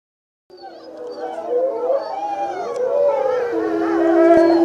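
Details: Several gray wolves in a zoo howl together in falling snow, long wavering tones rising and falling over one another.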